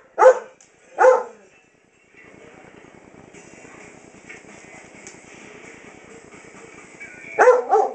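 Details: Lexy, a seven-year-old German Shepherd Dog losing her sight, barks at a household clock at night; two sharp barks open the recording, then a steady background hum, and another bark near the end.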